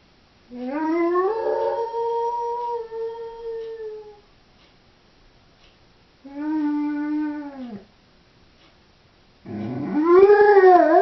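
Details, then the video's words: Three separate howls from a lone female Doberman left at home: each rises then holds and sags, the first about three seconds long, the second shorter and arching, the third loudest and warbling, with silent gaps between. "Howling Doberman"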